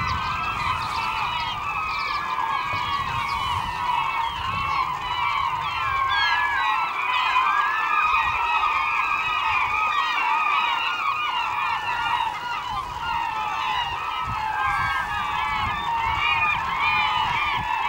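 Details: Several beluga whales in the Naknek River, morning of 24 April 2015: a continuous chatter of many short curling chirps and warbling whistles layered over each other, busy and unbroken throughout.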